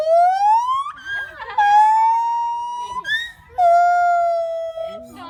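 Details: A captive gibbon at a North Carolina animal park gives loud, pure whooping notes that swoop upward, then hold and slowly fall.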